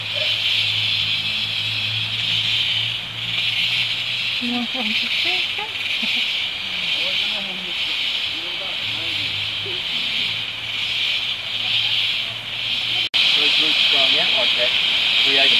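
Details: Insects in tropical rainforest at Tamborine National Park, Australia: a dense, high, hissing chorus that pulses gently and never stops, with a momentary break near the end, low hum early on and soft human voices talking underneath.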